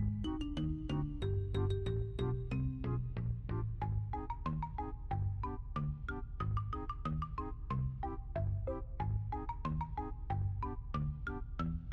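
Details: Bouncy plucked melody with a low repeating bass line, light and playful, plays with no animal sound.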